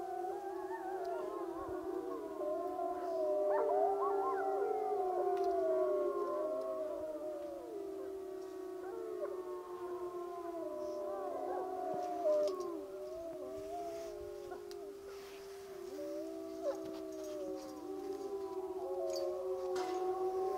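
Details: Group howl session of the Wapiti Lake wolves as the pack comes together: many layered drawn-out howls, with voices wavering, bending and dropping in pitch, plus brief higher yips woven into the chorus.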